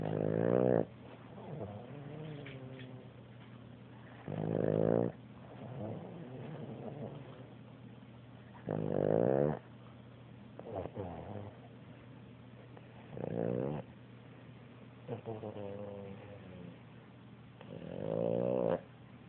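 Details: Boston Terrier snoring while asleep on a sofa indoors: rasping, rattling snores come roughly every four to five seconds, with softer breathing between them and a steady low hum in the room.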